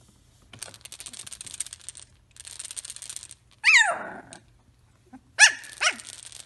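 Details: Three-week-old Samoyed puppies whimpering indoors: two loud, high, falling whines with rich harmonics near the middle and end, following bursts of dry scratching and shuffling as the pups move about.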